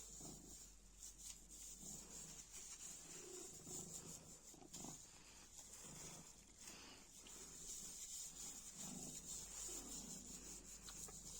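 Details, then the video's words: Purring of a playful black cat busy with a black plastic bag fragment: gentle low rumbles come and go in uneven rhythmic waves, with a thin high hiss throughout. "Kara poşet parçasıyla oynarken mırlayan sevimli kara kedi"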